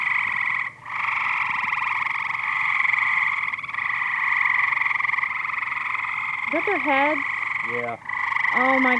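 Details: Frogs swimming and calling in great numbers in a backyard pool in Gas City, producing a continuous buzzy trilling drone, briefly dipping twice; people's excited voices break in toward the end.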